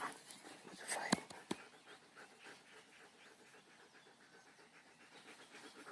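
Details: Dog named Kamai, called back by its owner after running off, panting in soft rhythmic breaths while being praised in German; a couple of sharp clicks early on.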